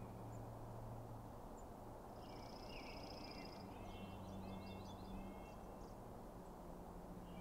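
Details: Elk at night as the Sheriff, the dominant bull, faces a challenging bull among other bulls. A short, faint, high pulsed whistle blends into lower chattering glides, with a steady low hum underneath.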